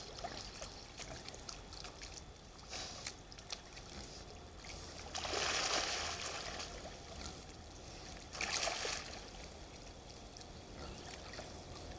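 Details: Rustling and splashing in reed beds with faint water movement, two louder bursts of broadband noise, no animal voices heard.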